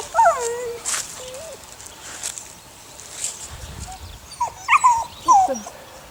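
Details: Whining from Sunny's puppies, a litter of six aged eight weeks: a falling whimper opens, a short pause follows, then a cluster of sharp, wavering yelps near the end, with soft human voices in the background.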